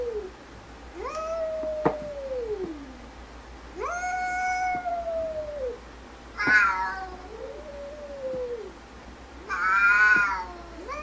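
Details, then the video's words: Arguing cats exchange a series of long, arched meows that rise and then slide down, some moaning and low, others brighter and shriller, spaced every two to three seconds over a low steady hum. "Funny Cats Arguing"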